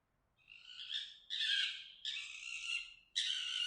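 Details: Fox mating call made of four hoarse, strained screams, each lasting under a second, with short pauses between them; the sound is rough and high-pitched against a quiet background.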